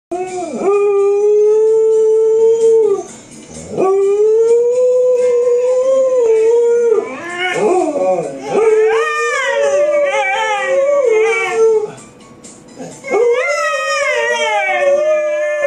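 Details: Samoyed howling as if singing along: long, drawn-out tonal howls that hold steady, then waver and bend upward. There are brief breaks near three and twelve seconds, and the voice grows more wavering and layered in the middle section.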